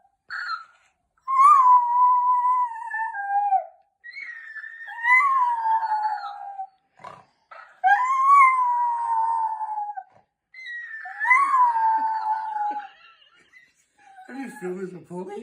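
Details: Jack Russell Terrier dog in a small room, reacting wildly to a toy talking parrot that mimics him; four drawn-out howls, each about two seconds and bending downward, separated by short pauses, with rougher sounds at the end.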